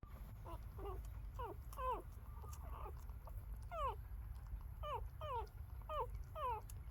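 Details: Newborn female puppies, about three days old, squeaking repeatedly while trying to feed from their mother after birth; short high descending squeals come in quick series, about two per second, over a low steady background rumble.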